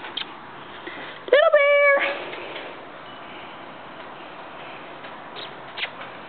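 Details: Indoor female cat named Stinky, reacting to a sound she does not like with a single sharp, rising then level meow lasting under a second, followed by quiet room hiss and light taps.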